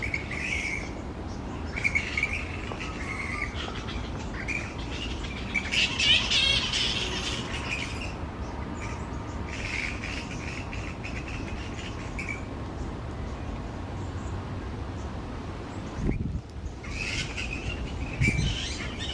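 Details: Large roosting colony of grey-headed flying foxes hanging upside down on tree branches, loudly noisy; dense chorus of rasping, chattering squawks in rapid bursts, briefly dropping near the sixteenth second, with constant low background rumble.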